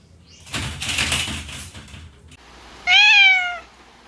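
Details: A cat from a group of mostly stray cats gives a single clear, slightly falling meow of under a second. Rustling and knocking noises come before it.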